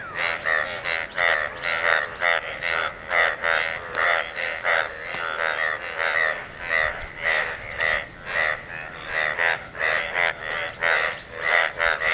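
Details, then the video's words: Croaking frogs in a pool of water keep up a steady run of nasal, raspy croaks, each a short buzzy pulse repeated about twice a second with slight overlaps between callers. "Frogs croaking sound in the pool of water"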